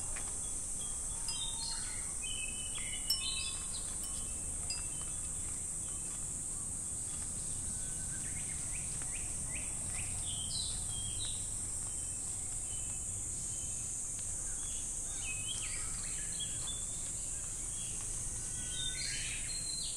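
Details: Summer cicada chorus at Namegawa Shrine in Sukagawa, Fukushima, Japan, where wind chimes hang: a continuous shrill buzzing hum fills the whole stretch, with brief chirps from several birds and a light chime tinkle near the start.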